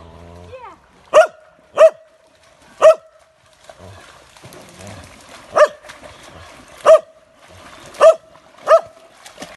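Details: An old, deaf Icelandic Sheepdog barking continually; eight short, sharp barks in about nine seconds, spaced unevenly at roughly one-second gaps, against a quiet background.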